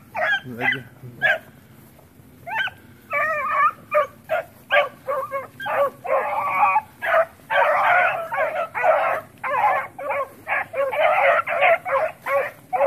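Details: Several puppies playing around the house, giving a rapid series of short, high yapping barks and yips, bunched in bursts with brief pauses, growing busier and denser toward the end.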